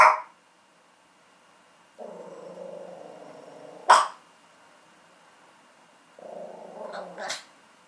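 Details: Male chocolate-and-tan Chihuahua pet calling to wake its owner on a holiday morning: sharp yelps near the start and middle, and two long, nasal, wavering whines between them, room otherwise quiet.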